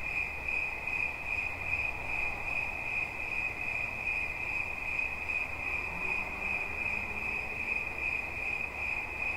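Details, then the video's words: A continuous cricket chirp rings at a single high pitch in fast pulses, with a soft low rumble and faint distant murmur behind it. "Świerszcz. Dźwięki relaksacyjne"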